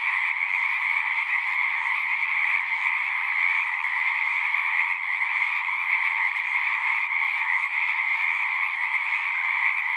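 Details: Frogs singing at a pond in a horse pasture, a massed chorus of rapid trills blending into a steady shimmering roar, bright high tones over a fuller middle layer, continuous from start to finish.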